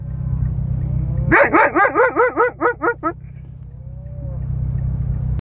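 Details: An Alaskan Malamute "talks" to a cow with a quick run of arched, yodelling woo-woo sounds over a low engine hum.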